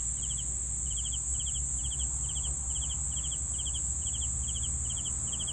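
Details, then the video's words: Crickets giving regular pulsed chirps at an even pace, a high continuous trill running beneath them and a faint low rumble in the background. "CRICKETS SOUNDS"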